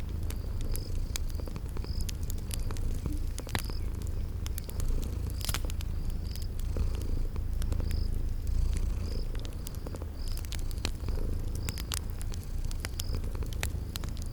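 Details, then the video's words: Continuous low purring from sleeping cats beside a crackling fire in a cozy spring garden ambience, the rumble even throughout, with snapping crackles and regularly spaced short high chirps, roughly every second. "Relax with Cute Sleeping Purring Kitties by a Crackling Fireplace"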